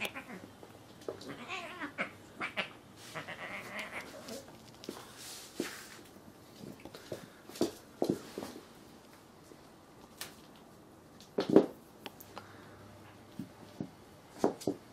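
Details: Two cats fighting: drawn-out, wavering yowls rise and fall through the first seconds, then give way to scattered sharp squalls, hisses and thumping bursts, with quiet stretches between outbursts.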